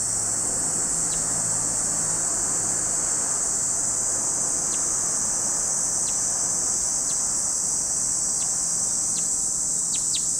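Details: At Lake Kamo on Sado, Niigata Prefecture, Japan, cicadas keep up a steady piercing whine, while short clicking chirps pop in several times, bunching toward the end, over a quiet low drone.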